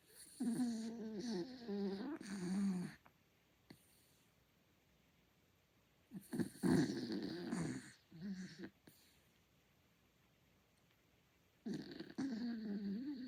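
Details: Miniature Dachshund. A Miniature Dachshund snores loudly in its sleep, each breath a low, rattling, slightly whistling rumble lasting a couple of seconds. Quiet gaps of several seconds fall between the snoring bouts.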